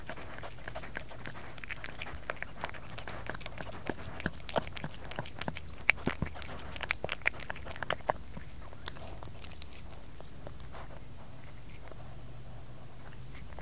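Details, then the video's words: Domestic cat eating: a fast run of sharp crunchy clicks and smacks through the first eight seconds, thinning to softer scattered chewing noises over a low steady hum. "Cat Kerry Eating ASMR"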